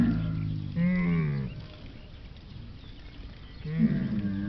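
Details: Camel uttering two short, low moaning calls with a rising, nasal tone, about three seconds apart, over a quiet rumbling background.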